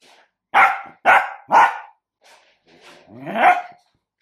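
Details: Dachshund, a sausage dog, barking three times in quick succession, each bark harsh and short, then a softer pause and one longer, drawn-out bark with a slight growl.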